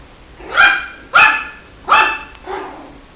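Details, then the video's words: A Shih Tzu puppy gives four short, shrill yaps at irregular intervals over three seconds, the last one softer and lower, in a quiet room. "Som de latidos de filhote de Shih tzu"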